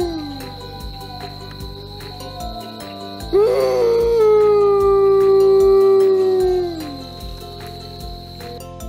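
An Arctic wolf gives a long, steady howl that sags downward at the end, over soft background music.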